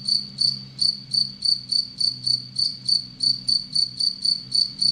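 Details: Captive Anadrymadusa retowskii, an aggressive tettigoniine bush-cricket kept with Egyptian locust prey, gives tonal high-pitched chirps about three per second, evenly repeated over a low steady hum.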